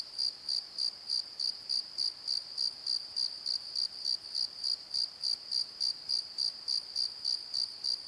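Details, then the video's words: Crickets calling at night in a valley bottom by a tree at Pozo, a steady high-pitched pulsed chirp repeating about three times per second, very regular, with nothing else standing out. "Crickets and Croaks! Pozo Night Tree"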